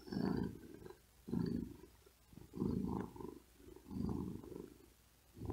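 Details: Tired cat sleeping on a wooden desk in great heat, breathing quickly and with effort, purring in low rumbling bursts about every 1.3 seconds, each swell rising and fading with a breath, quiet pauses in between.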